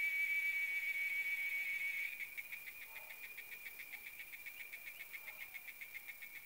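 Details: In the RGV, a cicada high in a tree holds a steady shrill drone for two seconds, then breaks into rapid rhythmic pulsing, about four buzzy throbs per second, quieter than before.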